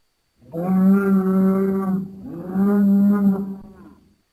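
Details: A bull on a farm gives two long, deep, steady moos, each about one and a half seconds, with a short pause between them and no other sounds.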